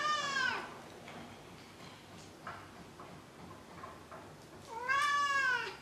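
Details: Maru the cat meowing indoors: a clear, falling meow opens the clip, then a few soft shuffling sounds, then a second bright, arching meow near the end.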